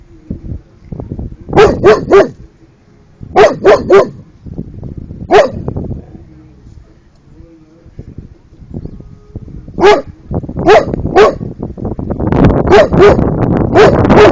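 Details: Young Cane Corso, 13 months old, barking at turtles: quick runs of three loud barks, then a lone bark, another pause and more triplets, the last seconds growing rougher and noisier as barks crowd together.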